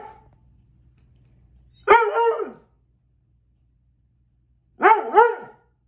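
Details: A female dog, still angry that she cannot catch a fly, gives two loud barks about three seconds apart. Each is longer and split into two parts, with a falling tone at the end. Near silence between them.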